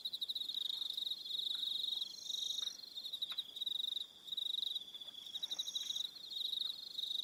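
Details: Crickets chirp steadily in a high, pulsing chorus with brief pauses on an evening at Aroha Island, New Zealand.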